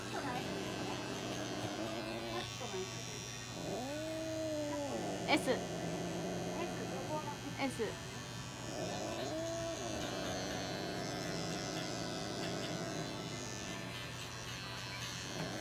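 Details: Norwegian Forest cat Kone-chan at an animal medical center in Nagoya during treatment: light therapy, nail trimming, paw pad fur clipping and anal gland expression. Two drawn-out, arching meows about five seconds apart over steady electric clipper hum and Japanese speech.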